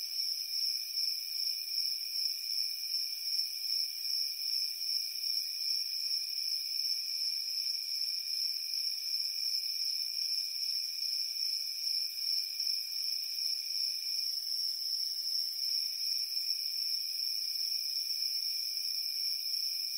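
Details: Chorus of chirping crickets on a summer evening among fireflies: a continuous piercing high trill that throbs softly, layered over a quieter, lower steady trill, with no other sounds.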